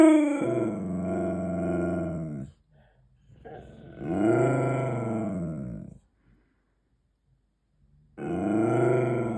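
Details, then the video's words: Maxi, a pet Siberian Husky, talks back while demanding a treat: three long, drawn-out woo-woo howling grumbles, each rising and falling in pitch over two to three seconds, separated by short pauses. "Husky talking back demanding treats"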